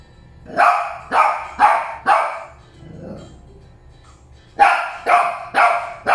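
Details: Molly and Loly, Shih Tzus, bark in two bursts of four rapid, sharp yaps, separated by a quieter gap with a faint low murmur.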